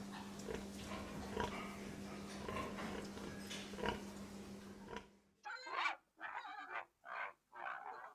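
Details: Pig making muffled grunts over a low hum, then a sudden switch to closer, louder snorting grunts in quick separate bursts with silence between them.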